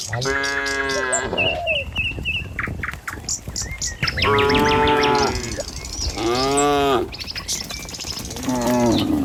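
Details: Tame cattle herd walking along a village road toward the pen in the morning: about four drawn-out, harmonic moos, some steady and some bending in pitch, separated by short gaps, with birds chirping throughout.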